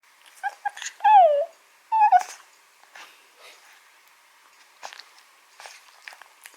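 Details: Two-month-old Shih Tzu puppy playing indoors, not yet allowed outside, gives two short high whimpers that slide downward, about a second apart, followed by soft scuffling and faint tapping noises in a quiet room, with faint background music.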